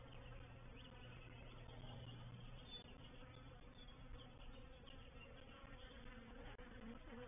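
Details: Quiet but dense, unbroken humming of a honey bee reproductive swarm settling into a bait hive at Painted Peacock Manor on 04/07/21, with a slightly stronger low drone in the first seconds.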